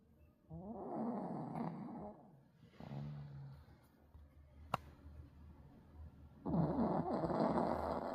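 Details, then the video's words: Pug snoring in rough, rattling breaths: one long snore, a shorter, lower one around three seconds, then a loud grating snore from six and a half seconds, with a sharp click in between. "퍼그 코골이"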